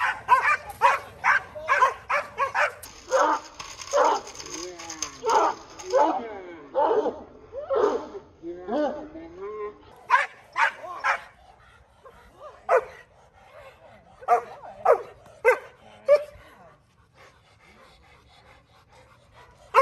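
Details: Kolohe, a male Rottweiler in his first day of protection bite work, lets out fast barking volleys, then drops to scattered single barks before falling quiet at the end.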